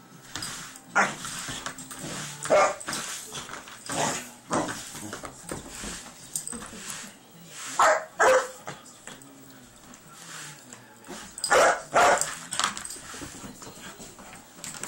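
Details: Poncho, a young Irish Wolfhound of three months, barks at a broom or vacuum cleaner; scattered loud barks in doubles and triples separated by longer quiet gaps with faint household sounds.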